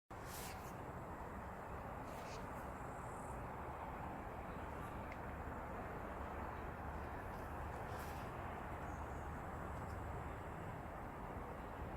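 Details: Only a steady, even broadband rumble like machinery or traffic runs throughout, with no clear animal voice.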